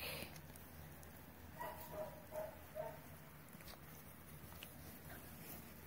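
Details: Playful seven-week-old Bernedoodle puppies outdoors, with a brief run of four soft, high-pitched yelps spaced about half a second apart against a low rumbling background.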